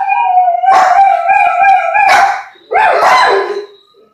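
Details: Chocolate Labrador Retriever, seven months old, gives a drawn-out level howl that rises into a strained peak, pauses briefly, then ends with a shorter falling howl.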